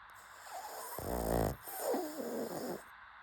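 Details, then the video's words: A pug snoring: a rattling, pulsed inhaled snore of about half a second, then a longer, rougher breath with a wavering tone, over a steady low hum. "PUG SNORING"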